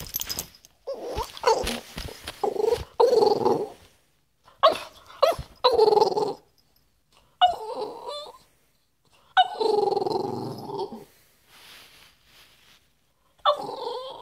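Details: A female French Bulldog indoors, vocalizing because she wants to play: throaty, moaning grumbles and growl-like whines in irregular bursts of one to two seconds separated by silences, with a brief human voice.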